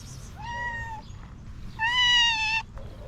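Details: Jealous house cat, angry at another cat, gives two long, steady meows about a second apart, the second louder and harsher, against soft indoor background noise.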